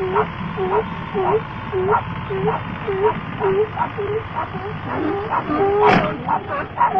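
A Pinscher gives a rapid string of shrill, yappy barks, about two each second.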